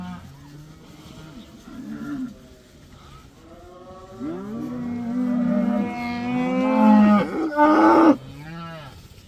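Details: Herd of about 80 cows, let outside for the first time, lowing repeatedly: overlapping deep moos, a short one early and then longer, louder bellows that rise and fall, the loudest near the end, over a soft hiss.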